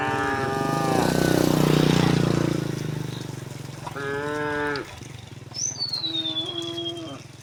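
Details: On a bright morning, a herd of cows returning home through village streets moo in short, level, nasal calls, one after another, over a low engine rumble.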